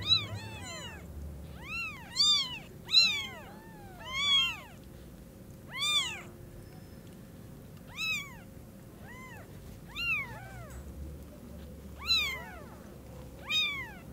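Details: Several kitten mews, high and arched, about every second or two, from newborn kittens seeing their mother cat for the first time after their eyes open; a faint steady hum runs underneath.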